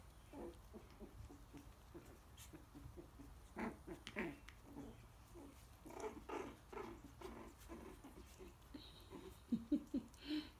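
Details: Nearly four-week-old Coton de Tulear pups wrestle and bite in a pen under their mother's watch, giving soft scattered growls, clicks and a few thin squeaks, with a louder cluster of yips near the end.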